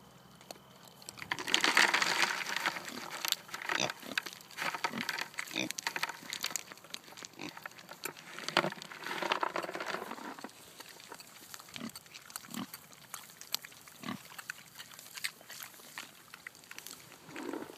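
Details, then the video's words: Kunekune pigs, a heritage breed kept as breeding stock, eating acorns: loud, harsh bursts around two and nine seconds, then softer scattered grunts and chewing noises. "Acorns & Loud Appetites - Kunekune pigs"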